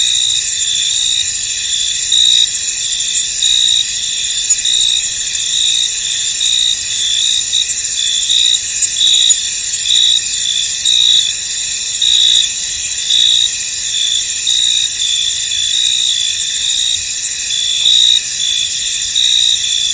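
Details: Crickets in a misty, foggy field: a dense, steady high-pitched chorus of overlapping chirps, with brighter trilled bursts swelling and fading every second or two for the whole stretch.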